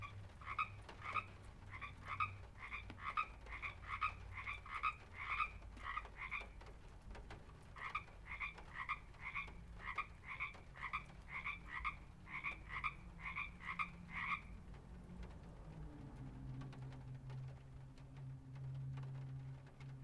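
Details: A frog calls in a fast, steady series of short croaks from a pond, with a low rumble in the background.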